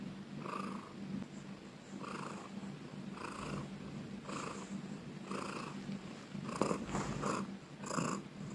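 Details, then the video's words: Cat purring loudly, rhythmic rumbling pulses about a second apart, growing stronger and rougher toward the end with a couple of brief sharper crackles. "Cat purring loudly ||Suara kucing mendengkur"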